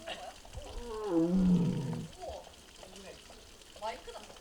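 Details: Six-year-old tiger Mugung at the Tiger Forest in Bonghwa, South Korea, on the afternoon of 24 April 2026, reportedly making strange sounds and possibly unwell; a single low, drawn-out groaning call lasting about a second, with faint voices afterward.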